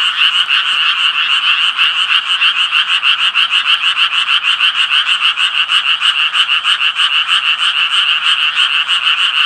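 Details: Japanese tree frogs calling together: a steady train of harsh, nasal croaks pulsing about three times per second, evenly rhythmic over a constant background of further frogs.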